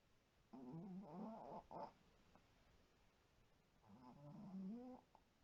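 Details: Sleeping white Pomeranian Shiro, from a household with several small dogs, gives two buzzing, wavering snores about three seconds apart, with a faint short snort between them.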